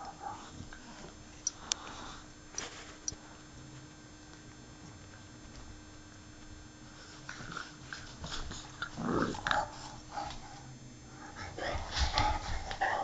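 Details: English Bulldogs at play indoors, two dogs: mostly soft shuffling and sniffing, then from about nine seconds bursts of rough, low growling and scuffling noises that grow louder toward the end.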